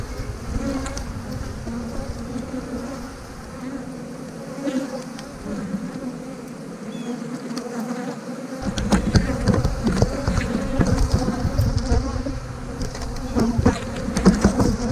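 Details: Honey bees humming steadily at an opened hive while frames of young brood and pollen are lifted and moved between hives; a low droning buzz with handling knocks and rustles that grow louder in the second half.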